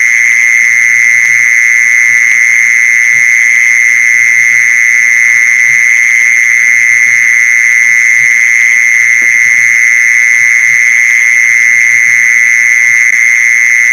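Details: Mole cricket lure sound: a long, even, high-pitched churring trill that never pauses, steady in loudness and pitch, accompanied by scattered soft low clicks.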